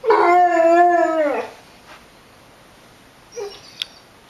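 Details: A Basset Hound howls along with tornado sirens, giving a long, wavering howl that slides downward at the end.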